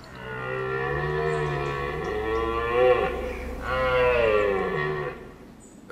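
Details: A red deer stag in the New Forest gives two drawn-out, low, groaning roars, each a few seconds long with a brief pause, the autumn rutting call as stags fight over harems of females.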